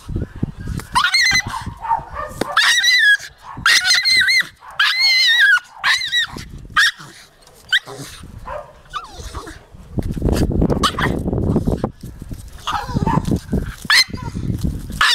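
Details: Jagdterrier uttering loud, wavering high-pitched yelps and whines in quick bursts during the first half, followed by rustling, low rumbling noise and scattered fainter cries.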